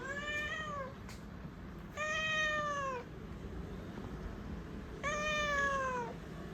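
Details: Domestic cat indoors around a jump onto a refrigerator, giving three clear, drawn-out meows that start high and slide downward, each about a second long, spaced two to three seconds apart over a steady room hiss.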